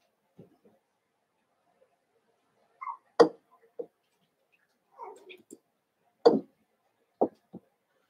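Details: Eight Cavalier King Charles Spaniel puppies indoors, Daisy's six merged with Robin's two and playing together; short, sharp yips and brief whines come irregularly, a few loud broadband yelps, with quiet gaps between.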